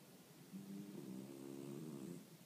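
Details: Boston terrier named Rion in Arakawa ward, sleeping soundly at home while snoring. After half a second of quiet comes one drawn-out, droning, buzzy snore with a low layered tone. It lasts about one and a half seconds and fades gently at the end.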